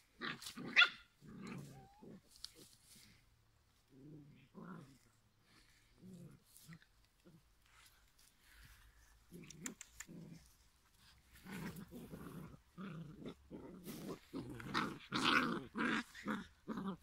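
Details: Five-week-old giant schnauzer puppies from one litter give scattered short growls and yappy barks, in bursts separated by quiet gaps, growing busier and louder toward the end.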